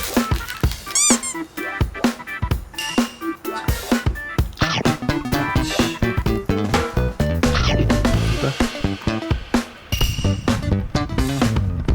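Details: Upbeat funk-style music with drums fills the room, with brief speech and no clear animal sound.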